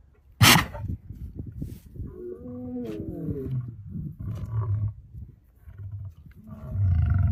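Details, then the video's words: A lion, shown with a lioness, gives one sudden explosive sneeze, a sharp broadband burst lasting well under a second. Low grunting and rumbling breaths follow, then a louder rough exhalation near the end. "The happy Lion, sneezing Lion."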